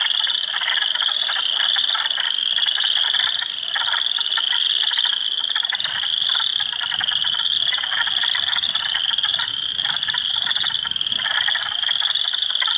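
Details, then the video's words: Hundreds of spring frogs calling in a swamp at Heartland Forest, Ontario, on April 2, 2022, with Spring Peepers, Wood Frogs and Eastern Chorus Frogs. A dense, continuous chorus of high peeping notes sits over a layer of rapid clacking trills. "Frog Sounds"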